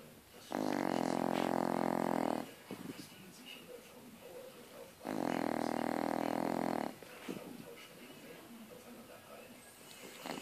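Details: Sleeping French Bulldog snoring: two long, loud rasping snores of about two seconds each, separated by quieter breathing, with faint background noise.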